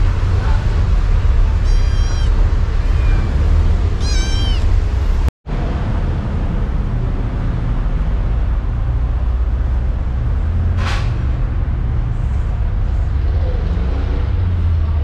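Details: Thin stray kitten in the Philippines, living in harsh, poor conditions; two short high meows with sliding harmonics sound early on, nearly buried under a constant loud low rumble, followed by a brief dropout and a sharp later noise.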